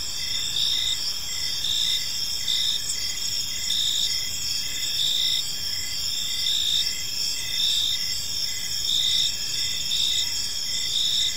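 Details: Evening in a quiet park with crickets chirping: a continuous shrill trill and brighter pulses recurring irregularly about once a second, over a soft low rumble.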